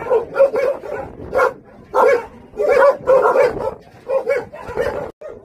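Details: Jindo dogs, Song Baekgu and his brothers at a Jindo island kennel, bark in irregular clusters, loud overlapping yelps alternating with quieter gaps and a short clipped yap at the end.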